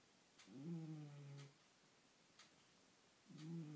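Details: Domestic cat asleep and snoring, two low, rough, humming snores about a second long, the second beginning near the end, separated by quiet pauses with faint clicks in a small room.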